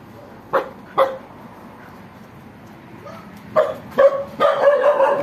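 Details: Two young dogs left home alone; short sharp barks at about 0.6 and 1.0 seconds, then a quiet gap, followed by a burst of yips and barks running together near the end.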